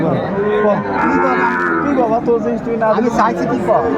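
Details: Sahiwal cattle, bulls and calves at a cattle market where a Dhaka farmer buys stock, 20 December 2024: overlapping long, drawn-out harmonic moos from several animals, with crowd chatter and bargaining voices throughout.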